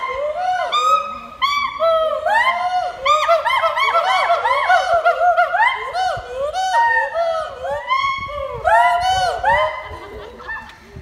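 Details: A gibbon at Assam State Zoo in Guwahati reacts to people with loud, rising whoops in quick, overlapping succession, like a honking, hooting chorus.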